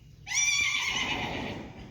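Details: A whinny from a Friesian horse in a herd: a sudden bright, piercing neigh that wavers slightly as it holds, then slowly fades out over about a second and a half.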